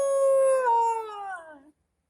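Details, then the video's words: Indian dog (kutta) crying: one loud, drawn-out wailing note, rich in overtones, held steady and then sliding lower before cutting off after under two seconds. The background is quiet. "Indian dog kutta 3 weaps and generate a horrible sound"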